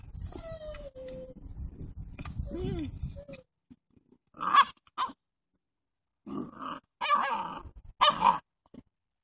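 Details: Doberman puppies, seven weeks old, playing outside on a lovely fall afternoon: after a stretch of low rumbling, a series of short, rough growling barks comes in separate bursts, each lasting under a second.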